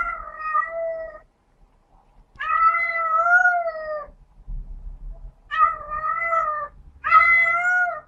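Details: A female domestic cat in heat gives long, drawn-out wailing yowls, much like a baby's cry, calling for a mate; such calls are heard outdoors in the spring and summer mating seasons.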